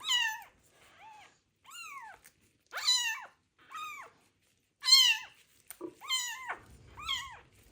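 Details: Street kitten found abandoned in a box and treated for ringworm, crying loudly through its first bath in medicated shampoo; a run of about eight clear, high, arched meows, some long and strained, separated by short silences.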